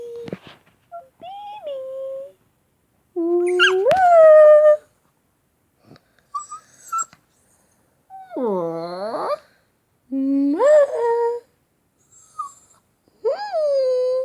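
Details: Shvan, a male Shih Tzu puppy, answers kisses and being called "baby" with high whimpering whines, some rising, others sliding down then up, a few seconds apart. Kissing sounds and a person repeating "baby" come between them.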